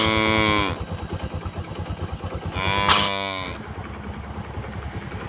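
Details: Tame cows grazing with their calves give two loud harmonic moos, one at the start and a shorter one near three seconds, over a steady low engine-like throb.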